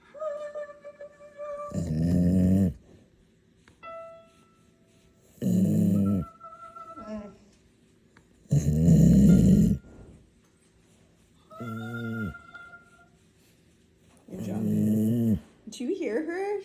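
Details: A female service dog sings along with a person, giving rough, wavering howls in bursts alternating with the person's sustained sung notes. Dog.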